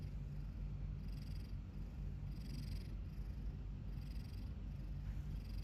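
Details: Sleeping cat with a tooth stuck on its lip, mouth open, snoring in a continuous deep rumble while airy exhalations pulse at an even, slow rhythm; no other sounds stand out.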